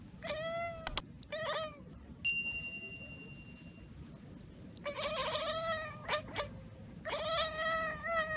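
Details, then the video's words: Domestic cat chattering at a bird or insect it has spotted but cannot reach: short bursts of quavering, harmonic-rich chirps, several pulsed in quick succession, separated by pauses, with a brief sharp click and a thin steady tone between bursts. "cat kekeke / cat / cats / cat sound"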